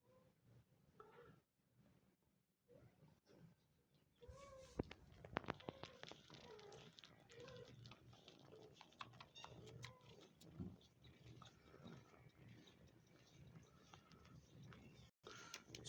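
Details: Domestic cats indoors: a male cat that tends and nurses kittens, with the kittens trying to suckle one another; short, high, rising-and-falling mews repeat throughout, with soft rustling and brief human speech.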